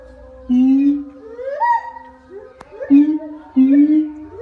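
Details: A siamang at TWSL Probolinggo gives loud, tonal hoots that slide upward, repeated in a rising series.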